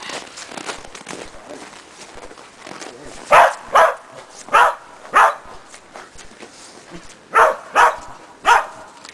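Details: Agility session for Shetland Sheepdog Preston on a training box and jump grid: two quick pairs of sharp barks mid-clip, then a run of three, with rustling and footsteps between.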